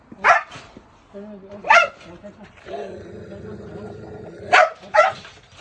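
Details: Jindo-type rescued stray with a reputation for biting, at an Ulsan animal shelter: sharp barks at the start and end, with a man talking and a low droning hum in between.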